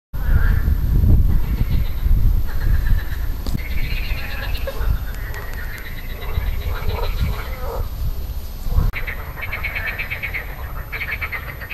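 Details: Marsh frogs croaking on 2 June 2013, grey vocal sacs inflating; rapid pulsed, bleating calls overlap in a busy chorus, with strong low rumbling wind or background noise throughout.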